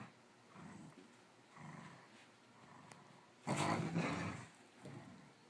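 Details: Growling during rough play between Sonic, a cattle dog and rat terrier mix, and Stella, a smooth coat border collie, circling in an ongoing game. Low rumbling pulses roughly twice a second, then a louder, harsher snarl before trailing off.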